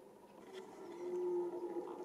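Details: Red deer stag roaring during the autumn rut: a single drawn-out, low tonal groan that swells steadily in loudness over about a second, steady in pitch, with a faint hiss in the background.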